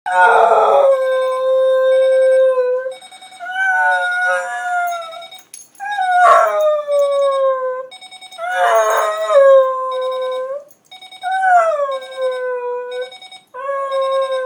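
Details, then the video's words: Charlie, a pet dog, howling at an alarm clock left on; long drawn-out howls with harmonic overtones, several sustained notes falling slightly in pitch, separated by short pauses, with an electronic beeping faintly in the background. "Charlie vs The Alarm Clock"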